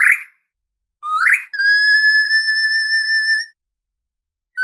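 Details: Orca calls: a short bright squeal, a rising chirp, then a long, steady, flute-like whistle with strong overtones held for two seconds before silence.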